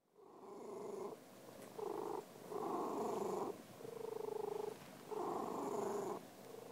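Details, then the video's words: Domestic cat purring in a close, steady rumble broken into bursts about a second long, with short pauses between breaths. "Cat Sounds"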